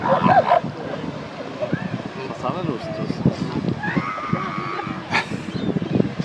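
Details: Northern elephant seals in mating season, 2012, in or near Big Sur, California: deep, rapid pulsed throbbing calls repeating through the stretch, with people talking over them and a brief sharp noise near the end.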